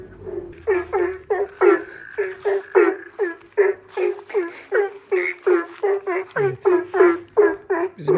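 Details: Frogs kept in a covered pool beside a hotel on Nusa Penida, Bali, croaking through the night, all with the same voice; a dense chorus of short, rough, pulsed croaks repeated about three per second, with faint speech at the start.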